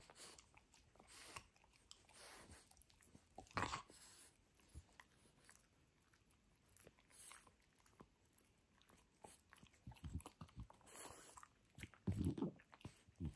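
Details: French Bulldog Benedict tears into a toy dinosaur in a small indoor room, giving sporadic crunches and soft gnawing that build into a loud cluster of bites near the end, with quieter pauses between.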